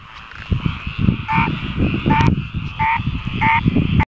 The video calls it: Singing Frog